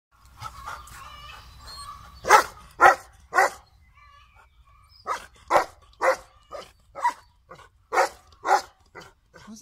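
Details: Golden Retriever kept as a family dog, barking indoors: a run of short, sharp, loud barks spaced about half a second apart, with brief pauses between bursts, preceded by a softer stretch of voice-like sound.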